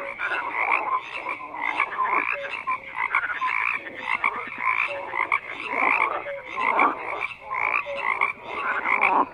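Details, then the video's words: Continuous chorus of croaking frogs, dense raspy pulses and ringing tones overlapping, with occasional short low whistled notes, intensity surging in waves every second or two across the whole stretch. "FROGS CROAKING"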